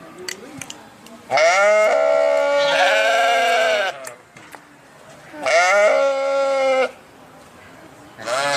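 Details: Sheep bleating: two long, loud, wavering harmonic bleats, each lasting over a second, separated by a quiet gap, with faint background noise.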